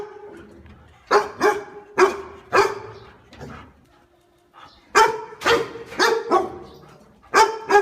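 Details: A dog barks at a stranger: sharp, bright barks in uneven groups of two to four, with a brief lull in the middle before a rapid burst resumes.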